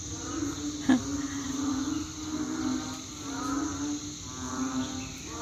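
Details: Banded bullfrogs call outside at night after rain, calling nonstop from about 7 pm to 8 pm and sounding like a rice field: deep, drawn-out lowing calls, like a distant cow, over a high insect hum.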